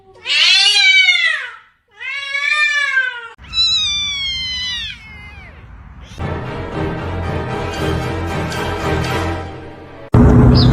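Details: Domestic cat meowing three times in quick succession. Each meow is loud, rising then falling, and strongly harmonic, with the last one trailing downward. It is followed by a stretch of broadband noise with music underneath.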